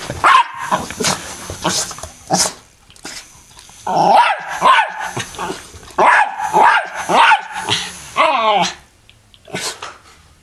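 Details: Pet dog barking and growling at an M&M fan, bursts of sharp barks with gaps of quiet, one drawn-out growling bark near the end, faint talking behind.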